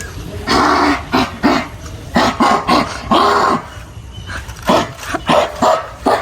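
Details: American Pit Bull Terrier in Kerala giving short gruff barks and throaty growls in uneven bursts, interleaved with Malayalam speech and background music.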